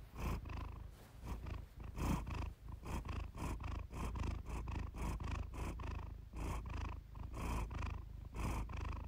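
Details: Iris, a pet cat, purring closely into the microphone for a relaxing purr-therapy recording; deep continuous rumble with breathy bursts swelling roughly once per second, steady throughout.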